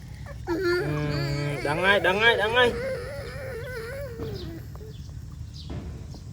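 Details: A dog lets out a wavering, howling whine that climbs, then trembles downward for several seconds before fading. Voices and a low background hum sound alongside it.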